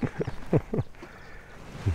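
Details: Lion. A lion utters short, deep grunts in quick bursts, each low and throaty, then a final grunt after a pause. The lion makes these sounds as a greeting.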